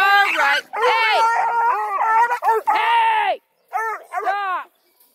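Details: A crew of registered coonhounds, Blueticks, Redbones and Black and tans, near Kingston, Ontario, Canada, give drawn-out, quavering bays with rich harmonics, several voices overlapping, then two shorter howls after a brief silence.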